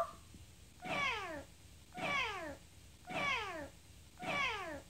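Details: Chatty female house cat answering her owner about being hungry meows four times, about once a second. Each call is a short, bright note that slides downward, heard in a quiet room.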